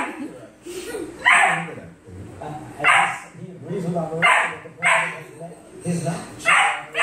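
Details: German Shepherd puppy at play, giving short, sharp, noisy barks about every one and a half seconds, with people talking and a television murmuring in the background.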